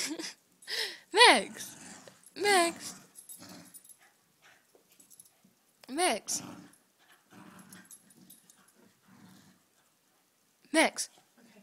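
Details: Fox terrier giving drawn-out whines or yowls that arch up then fall, in about four short bursts over eleven seconds, with a person repeatedly calling the dog and a snatch of music.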